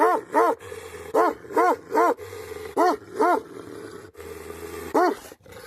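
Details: Tibetan Mastiff, a livestock guardian dog breed known in Nepal as Bhote Kukur, barking: about eight deep, harmonic barks, mostly in pairs with short pauses, over a steady low hum.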